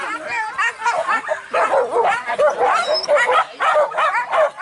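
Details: Hunting dogs pursuing wild boar in Minangkabau, West Sumatra, Indonesia, during a traditional boar hunt: a pack giving rapid, overlapping high yelping barks, about one to two per second, with voices faintly in the background.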